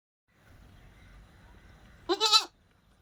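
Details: Goat (Capra hircus), bleat: mother and kid calling to each other.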